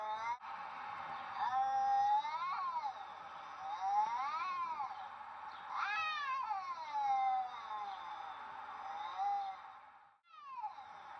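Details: A Siamese cat, described as confused, gives a series of drawn-out, wavering meows that rise and fall in pitch.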